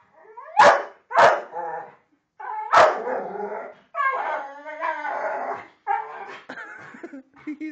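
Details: Pit bull attacking a Pink Panther toy, making funny noises: a few sharp bark-like yelps, then drawn-out, wavering, howl-like whines and yowls in quick bursts, while a man's voice urges it on.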